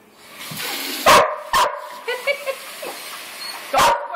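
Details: Three pet Border Collies, recorded on an Android phone, giving three loud, abrupt barks spaced irregularly over a few seconds, with softer yips and a person's voice between them.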